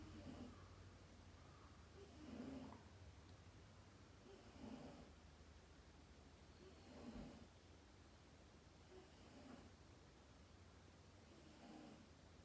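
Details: A sleeping domestic cat named Dayako gives quiet, rhythmic snores, six soft raspy breaths about every two and a half seconds, against steady low indoor hum and background hiss.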